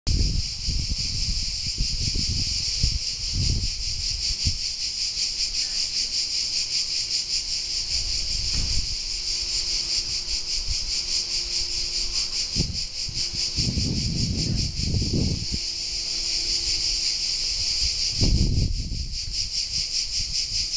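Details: Cicadas at Alberese, Italy: a steady, dense buzzing drone holds high and unbroken throughout, while low thumps and brief rumbles, like wind or handling, come and go underneath.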